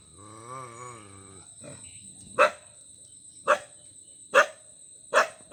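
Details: Dog barking: a wavering, harmonic tonal sound for the first second and a half, then four sharp, loud barks spaced about a second apart. A steady high-pitched electronic whine runs underneath throughout.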